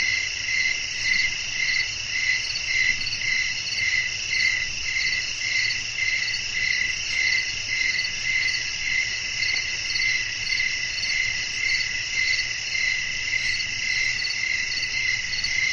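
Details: Crickets sing through a windy night outdoors: a long, steady run of high, pulsing chirps repeating about twice per second over an unbroken shrill buzz, with gentle low wind underneath throughout.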